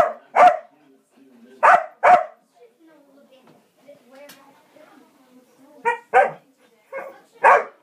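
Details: Kerry Blue Terrier barking while a squirrel torments it: loud, sharp barks that come singly or in quick pairs, separated by quiet stretches of low murmured human speech.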